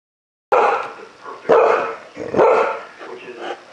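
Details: Dog woken in the middle of the night, barking angrily at a cat sitting outside his window in the yard; four loud, harsh barks about a second apart after a moment of silence.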